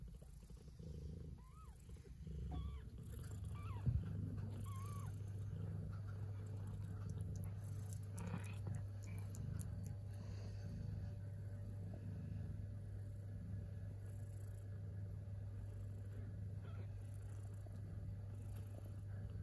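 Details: Kittens eating and purring, starting with a pulsing rumble plus a few faint mews and clicks, then settling into a loud, smooth, continuous low purr held steady for the rest.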